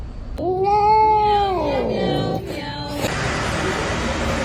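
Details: Cat giving one long drawn-out meow that swells, holds and then sags downward over about two seconds, followed by a brief softer sound and a wash of broadband noise.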